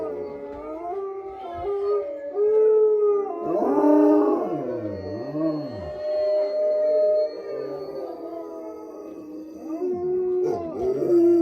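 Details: Wolfdog howling at a wolf sanctuary in southern Ohio, long sustained tones that bend up and down, several voices overlapping, with a lower swooping howl in the middle.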